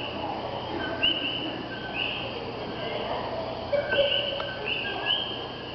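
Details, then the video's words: In Puerto Rico, several common coquí frogs give clear, bird-like whistled two-note calls, a lower note jumping up to a higher one. "Sonidos de los coquí"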